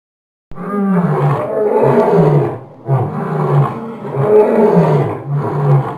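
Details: Lion from a children's animal sounds lesson: a deep, rough roaring grunt sequence, loud and continuous with rhythmic pulses about every second and a half, no other sounds.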